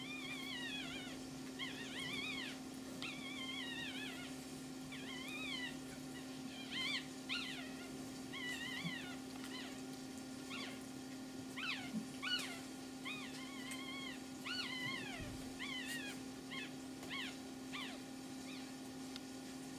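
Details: Pomeranian puppies with their mother, calling in a series of high, wavering whimpers and squeaks that rise and fall, repeated in quick bursts throughout, over a steady low electrical hum indoors.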